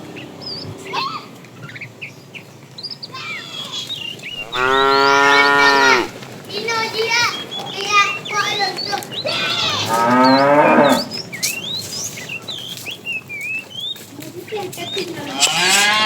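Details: Tame cows herded in the afternoon, a fat cow calling the female: a clear moo near five seconds, a rougher moo around ten, a fainter one at the end, with dense bird chirping and some distant voices.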